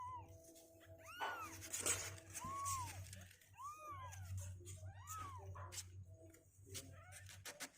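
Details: Indoor litter of two-week-old kittens on day 16, stronger on their legs and refusing to sit in the box; several short, thin mews rising and dropping in quick succession, with rustling and a steady background tone.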